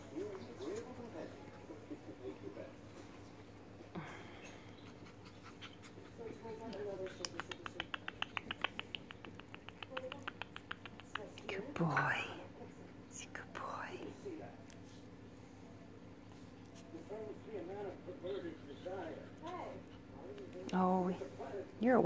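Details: Puppies, recorded 2 September 2019: soft scattered squeaks, then a stretch of rapid clicking and scratching, and later a series of thin, arching whines that rise and fall, repeated close together before a louder final squeal.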